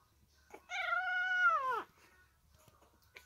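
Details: Three-week-old Staffordshire Bull Terrier puppies with their mother, recorded 6 May 2022; one drawn-out, high, tonal whine that holds steady and then slides downward over about a second, with faint rustling before and after.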